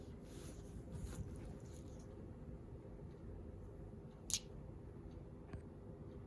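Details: Shiba Inu dog sneezing during its daily routine: one short, sharp burst of sound near the end, standing out above a steady low indoor hum, with a few soft rustles and taps earlier on.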